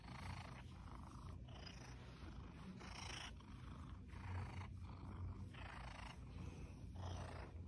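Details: Skylar, a male Seal Point Siamese cat rescued from an animal hoarding situation as a kitten, purrs while snuggling: a steady low rumble broken into rhythmic breathing pulses about every second, with soft rustling at times.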